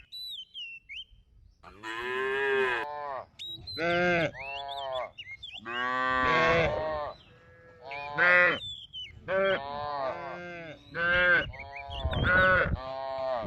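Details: A herd of cattle roam and graze in a rice field, lowing in long, rich, drawn-out moos. About a dozen calls overlap or follow closely, some wavering and rising. Thin, high whistled chirps sound between them.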